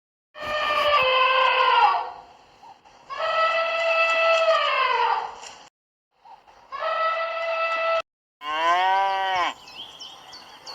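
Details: Cow mooing in a sequence of long, drawn-out, harmonic-rich lowing calls of about two seconds each, separated by brief silences, ending with a shorter arched moo that rises and falls.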